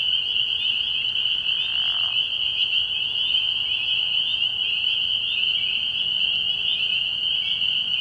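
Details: Spring peepers in early spring at a frog pond at night, many calling together in a dense, unbroken wall of high, shrill peeping that holds steady throughout; no deeper bullfrog calls stand out.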